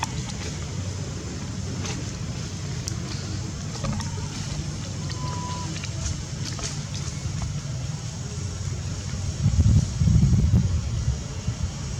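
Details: Steady low rumble of vehicle and wind noise throughout, rising briefly near the end, with no animal calls.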